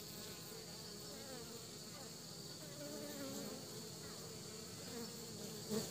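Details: Soft, even buzzing of honey bees bringing pollen to the nest, a quiet layered hum with gently wavering pitch and a short louder buzz right at the end.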